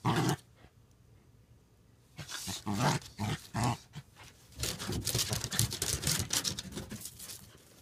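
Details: Huck and Maggie, a pair of dogs, play fighting on a deck. After a quiet stretch come low, throaty growl bursts, then a longer run of rapid snarling and panting mixed with the scrabble of paws.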